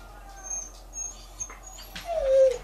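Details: Female Siberian Husky whimpering on a nice day, eager to get outside: a short high whine sliding down near the end after quieter soft whimpers, with a person talking in the background.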